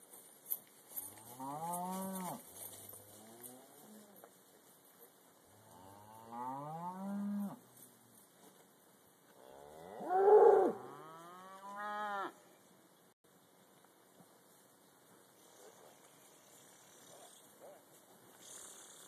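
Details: Black Angus cattle loaded onto a trailer for transport back to the home farm: three separate drawn-out moos, each rising then falling, spaced about four seconds apart, the last the loudest, then quiet rustling.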